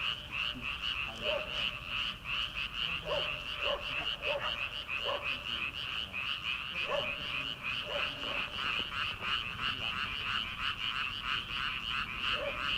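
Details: Early-summer night in rice paddies before rice planting: many frogs croaking together in a fast, dense pulsing chorus, with occasional louder lower croaks standing out every second or two.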